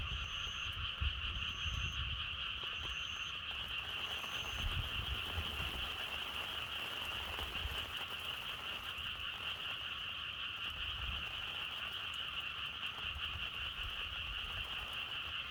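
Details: A frog chorus keeps up a steady, dense trill throughout, with wind. Several short high tones repeat about once a second during the first five seconds, then stop, while faint low wind gusts pass beneath.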